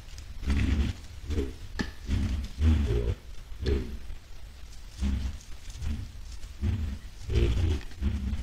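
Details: White-lipped peccaries moving toward a salt lick on 10 July 2022 produce a steady series of low, throaty grunts and short snorts, several animals overlapping, with rustling underneath.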